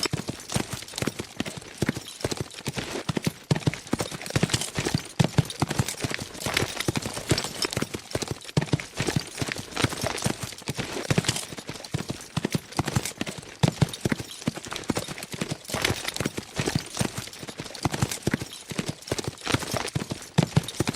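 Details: Horses running fast, heard as a long, relentless drumming of hooves: crisp, thudding beats crowd together in uneven bursts, steady in loudness from start to finish.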